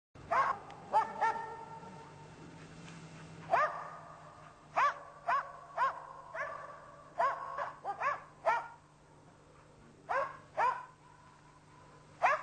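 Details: Karelian Bear Dog barking while hunting a European brown bear: sharp, high-pitched barks in irregular bursts, some doubled, spread across the clip over a steady low hum.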